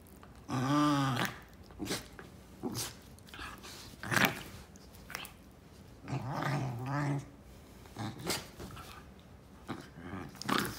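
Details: Pair of Basenjis in rough play: deep, harmonic growls rise and fall in two long bouts about five seconds apart, mixed with short snarly bursts and scuffling clicks between them.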